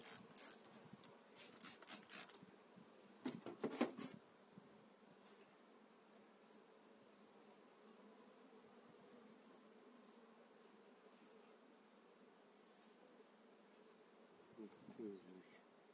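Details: Honey bees on eight frames moved into a new hive in spring 2018. A steady low hum drones throughout, with scraping and knocking of frames in the first four seconds and a brief clatter near the end.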